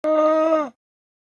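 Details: Single even llama hum, a flat droning tone with strong overtones lasting under a second, sharp onset click then silence.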